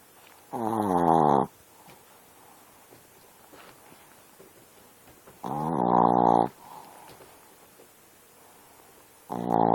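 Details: Sleeping dog snoring: two loud, rasping harmonic snores about five seconds apart, each lasting roughly a second, with a third snore starting at the end; quiet breathing between.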